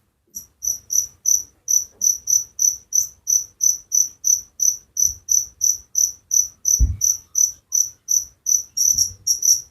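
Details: Crickets give a steady run of shrill, high chirps about three a second, with a brief low thump partway through and a slightly busier, overlapping burst near the end.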